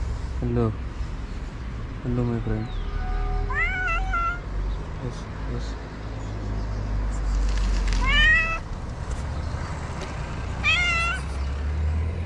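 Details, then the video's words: Stray cat in Morocco, met early in the morning, meowing to ask for food: short rising meows with bright harmonics, spaced irregularly every couple of seconds, while a person talks gently to it over low traffic-like rumble. "I met a cute stray cat early in the morning who wants food."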